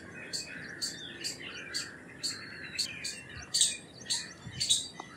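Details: Indian palm squirrel uttering a short series of sharp, high chip notes, about nine in five seconds, getting louder toward the end, with faint bird twitters behind.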